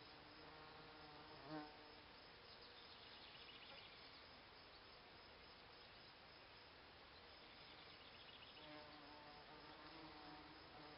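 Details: Bees buzzing around Solomon's Seal in flower beds by a cabin; a steady dense insect hum with several overlapping droning tones that swell and fade as individuals pass close, over a broad hiss.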